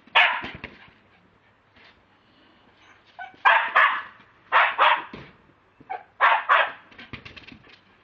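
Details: Pet Lakeland Terrier captured on a mobile phone, giving loud barks mostly in close pairs, with bursts separated by short pauses and a softer fluttering bark near the end.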